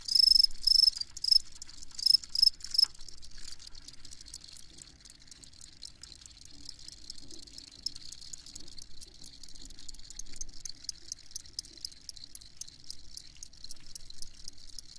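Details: Chirping field cricket, a steady train of short high-pitched pulses, with clear tonal chirps in the first three seconds and then a dense, rapid ticking over a quiet background.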